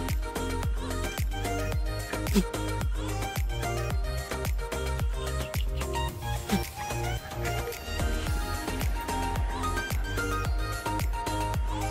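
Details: Upbeat dance music with steady beats and layered instruments fills the whole stretch.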